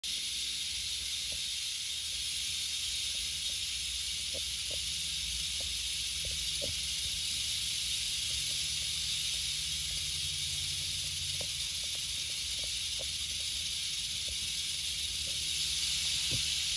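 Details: Western diamondback rattlesnake during a relocation, giving a steady high dry hissing buzz of its rattle that runs unbroken throughout, with faint scattered ticks and clicks beneath.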